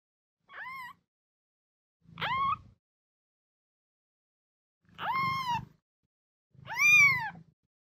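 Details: Four plaintive kitten meows, sound used to draw a cat's attention; each cry is high, arched and rich in overtones, with a long silent gap between the second and third.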